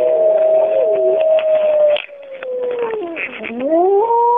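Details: The Bays Mountain wolf pack howling in the cool of the morning, recorded in 2010: long, smooth voices hold steady, then slide down and climb again, with two or more wolves overlapping in harmony.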